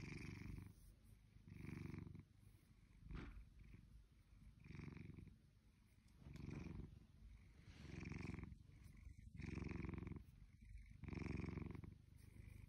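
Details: Lazy blue British Shorthair named Shelby, nearly two years old, purring at home: deep rumbling pulses alternate with softer inhalations roughly every 1.5 seconds, the rhythm slightly uneven across the stretch.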